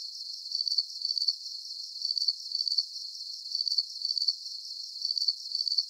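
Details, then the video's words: Crickets chirping steadily in high, pulsed trills, the chirps grouped in pairs that recur about every one and a half seconds, with no other sounds. "Calming Cricket Sounds"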